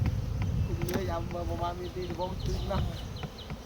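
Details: Honeybee buzzing as a steady low hum with faint overtones. Short high chirping notes sound above it, people talk nearby, and low rumbling background noise runs throughout.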